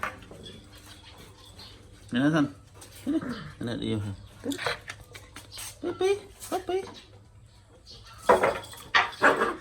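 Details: Domestic puppies in Cambodia fighting over a toy, recorded by phone indoors: bursts of short yelping, whiny and growly sounds come in scattered clusters, some rising and falling in pitch, with human voices talking between them.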